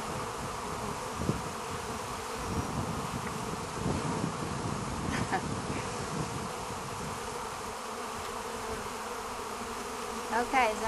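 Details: Many bees buzz steadily while being fed by a woman; the droning hum swells slightly in places, with a few brief knocks and a short voice near the end.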